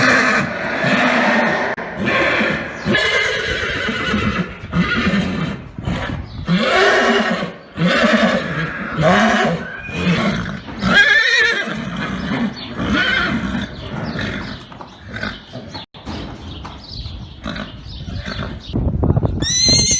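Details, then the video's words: Arabian horse whinnies, a string of vibrating, descending neighs and breathy snorts over twenty seconds, with faint voices and a brief high squeal at the very end. "أجمل صور خيول عربية أصيلة مع صوت صهيل الحصانpictures and neighing of horses"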